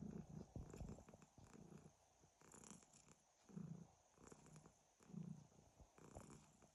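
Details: A pet cat named Hryhorii purrs in its sleep with a snoring quality, giving deep, throaty rumbles that rise and fall in slow breaths about every one and a half seconds, close and quiet.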